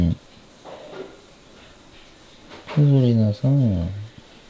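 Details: House cat Suri nagging and complaining indoors after an air-conditioner cleaner's visit, scared by the noise. Two drawn-out, low, falling moaning meows come near the end, after a man's soft murmurs and a light knock.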